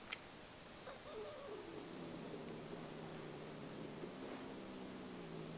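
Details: Pet cat Mow Bailey growls indoors in bed at Tramp, another cat she still dislikes but is getting used to; a faint, low, steady rumbling growl with layered overtones holds for about four seconds, with soft human murmuring nearby.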